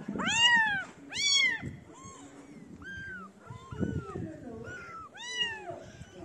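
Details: Several kittens gather around a person feeding street cats, calling loudly with harmonic, arched meows: two strong cries early on, then a run of shorter, softer mews overlapping one another.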